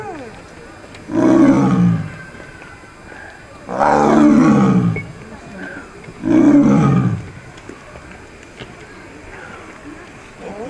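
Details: A one-year-old male Siberian (Amur) tiger born in 2016 at Asahiyama Zoo, filmed 12 November 2017, gives three deep, rasping roars, each about a second long, spaced a few seconds apart.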